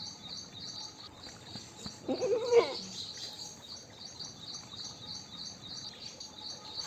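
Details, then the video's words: Goat giving a short wavering bleat of about half a second, rising then falling, over a steady background of repeated high insect or bird chirps in a rural outdoor setting. "Goat Call"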